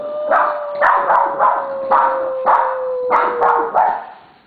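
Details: Pet Siberian Huskies, three dogs including Simba, Crystal and Aspen, urged by their owner to howl; a steady, slowly sinking howl runs beneath a rapid series of short, loud barks, roughly eight bursts in four seconds.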